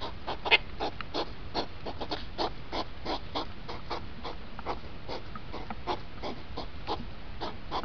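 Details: Hedgehogs rutting, played fast with two hours shown in five minutes: repeated breathy snorts in quick succession, opening with a sharper burst, against a low steady rumble.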